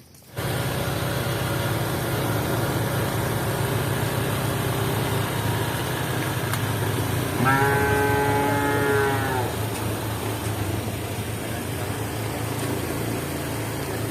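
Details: Cows running and walking; a single drawn-out, slightly falling moo lasting about two seconds rises midway above a constant low engine-like rumble that fills the whole recording.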